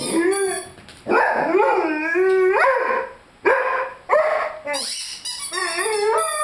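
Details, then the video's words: Five-month-old Rhodesian Ridgeback puppy howling while playing with a squeaky chicken toy: wavering, tonal howls rising and falling, broken into several bouts, mixed with high squeaky toy squeals near the end. "Rhodesian Ridgeback Howling with squeaky toy."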